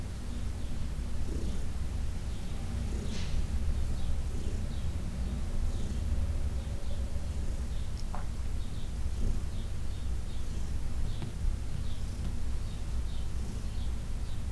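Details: Purring of Heidi, an elderly adopted shelter cat, while being massaged in June 2021: an unbroken deep droning purr, with occasional light clicks and rubbing noises over the low hum.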